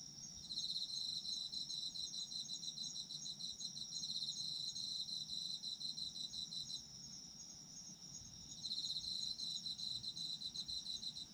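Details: Autumn insects calling: long high-pitched pulsing trills, broken by one clear pause of over a second before the trilling resumes. A steady shrill background tone from other insects continues underneath.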